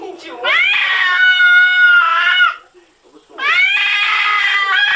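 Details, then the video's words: Domestic cat making weird noises: two long, loud, drawn-out yowls, each over a second and a half. They are steady and rich in overtones, with a scoop upward at the start and a short silent gap between them. "CATS SPEAKING & making wierd noises"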